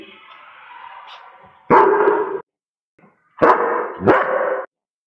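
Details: German Shepherd at Halloween, reportedly scaring everyone: after a person asks whether the dog scared everyone, two loud, deep barks follow, the second doubled into a quick pair, separated by silence.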